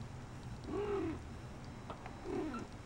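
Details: Shaded golden Persian kittens of the K litter, four weeks old, out in their corral: two rising-then-falling tonal mews about one and a half seconds apart, with faint clicks and low background hum.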